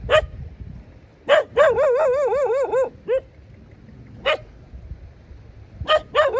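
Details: Dog barking: short sharp barks with a fundamental near 600, separated by pauses, plus one run of wavering, warbling yelps lasting about a second and a half; low background rumble underneath.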